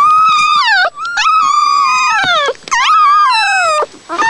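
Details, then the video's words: Newborn puppies nursing: loud, drawn-out whining cries, each starting high and sliding downward in a long wavering wail, three main cries in quick succession with brief gaps between them. "The sound of newborn puppies nursing"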